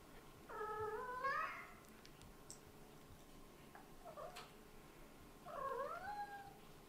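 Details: Baby kitten whose eyes have just opened, too sleepy to stop yawning; two short squeaky whining vocal sounds with a bending tone, about five seconds apart, in a quiet room.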